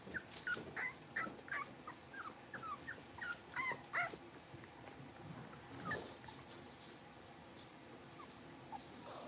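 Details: Five blenheim Cavalier King Charles Spaniel puppies in their new, bigger pen give a quick series of short, high whimpers and yips, several per second, over a steady hiss of room noise, fading out after about five seconds.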